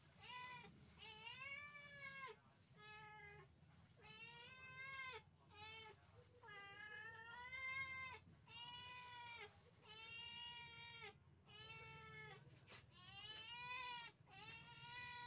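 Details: Pet village cat at dinner time, giving a long series of about eleven drawn-out, arched, harmonic meows, roughly one each second, over a steady low indoor hum.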